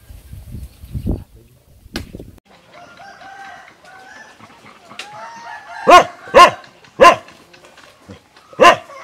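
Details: A hungry small puppy gives thin, wavering whimpers that glide upward, then breaks into four or five short, sharp yelps spaced about half a second apart. A few low knocks are heard at the start.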